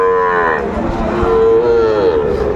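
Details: Sahiwal bull mooing at Aftabganj cattle market in Dinajpur district, Bangladesh, on 16 April 2024, a Tuesday market day. A loud, steady, tonal low moo with rich harmonics, a brief dip, then a second sustained note. Faint crowd murmur behind.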